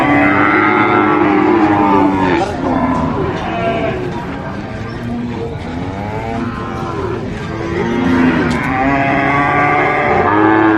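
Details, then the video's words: Sacrificial cattle at a market mooing; overlapping drawn-out lows from several cows, one starting early, others swelling later, over a constant murmur of people and market noise. "SUARA SAPI COW SOUND EFFECT MOOOOO"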